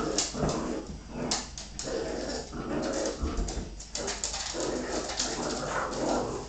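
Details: Play fight between a Bull Terrier bitch and her pups, with continuous throaty growling, whining and yelping mixed with scuffling and thumps throughout.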